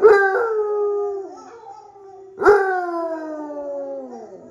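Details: Basset Hound named Droopy howls in reply to other dogs playing on screen: two long mournful howls, each opening with an abrupt loud onset and then gliding gradually lower, the second fading out slowly.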